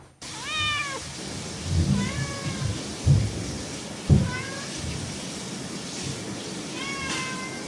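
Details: Playful cat producing four short rising meows at irregular spacing, thinner and higher at the close, while soft thuds and bumps sound in the background.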